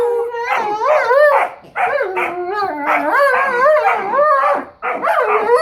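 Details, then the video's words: Playful pair of dogs, a Weimaraner and an Old English Sheepdog, worked up by squeaky sounds: bursts of wavering, bending whines and yelps in quick succession, rising and falling, separated by two short breaks. "Weimaraner and Old English sheepdog Funny Noises"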